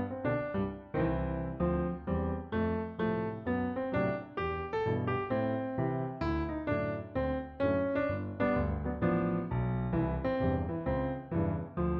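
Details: Gentle keyboard music, with electric piano chords and a melody played in a steady, repeating rhythm throughout.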